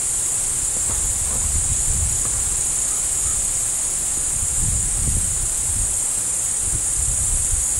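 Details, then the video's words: Crickets chirping as a continuous, shrill, high-pitched drone that holds steady without pauses, over low rustling and wind-like rumbling. "zirpenden Grillen"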